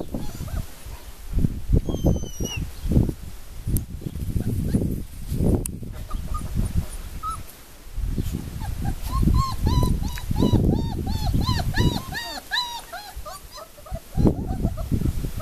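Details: Four-week-old puppies at Le Domaine des Pertins, litter 'Formule 1' / Callie: knocks and bumping noises dominate at first, then a burst of high, arched squeaks and whimpers rises midway before fading into more handling noise.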